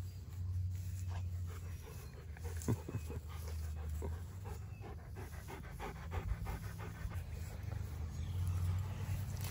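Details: Quick, airy dog pants in uneven bursts during a meeting between Erie, a Great Pyrenees/Border Collie mix, and Hannah, a yellow Labrador Retriever, with a constant low hum and a few louder knocks underneath.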